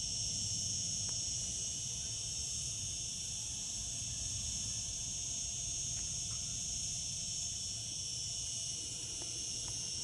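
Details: Cicadas singing in summer: a steady, unbroken high-pitched buzzing drone that holds at the same level throughout, with a faint low rumble underneath.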